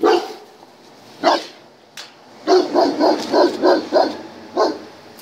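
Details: German Shepherd during a dog test: one isolated bark, then a fast string of about six rhythmic barks and a last single bark, over a steady background hiss.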